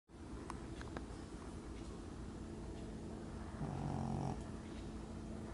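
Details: Teddy, a lilac British Shorthair male and TICA Supreme Grand Champion, snoring at home: a low, rough, rapidly pulsing rumble that swells briefly louder near the end, with a faint hum beneath.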